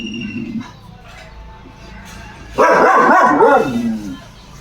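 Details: Caravan Hound dog giving one loud, harsh burst of barking about halfway through, after quiet low murmuring.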